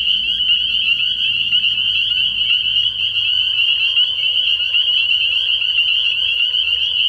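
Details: Spring peepers in full night chorus at a frog pond early in spring, their high peeps fused into steady shrill ringing, while a low rumbling drone sounds underneath for the first three seconds.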